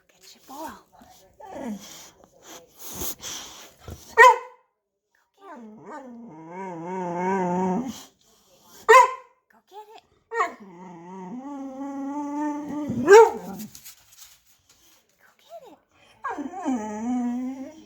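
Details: Boxer dog, vocal and afraid to fetch its toy ball from under a shopping bag, alternates long wavering harmonic whines and groaning moans with sharp single barks roughly every four to five seconds; low voices in the background.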